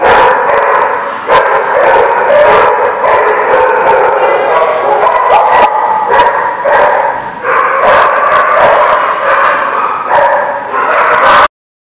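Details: At The Barking Lot on 22 September 2017, several dogs bark, yip and whine at once in a steady, crowded racket with frequent sharp bursts, stopping abruptly near the end.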